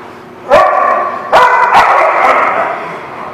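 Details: Dogs barking at a kennel-style lot on June 30, 2017: sharp, loud barks with strong harmonic bands, one near half a second, then a cluster of three overlapping barks around 1.3 to 2.3 seconds, with reverberant echo trailing after.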